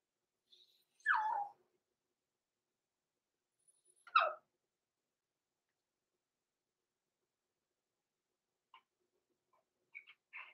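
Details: Six-week-old blenheim Cavalier King Charles Spaniel puppies, Roman and Blue, born November 14, 2022, in an indoor puppy pen overnight: two sharp falling whimpers a few seconds apart, then faint short squeaks near the end in a quiet room.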